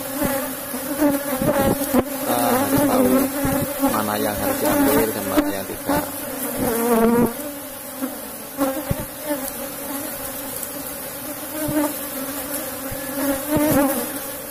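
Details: Strong colony of Asian honey bees, Apis cerana, in a cultivated box hive at harvest time, droning steadily throughout, with rising and falling voices and scattered handling knocks over the hum.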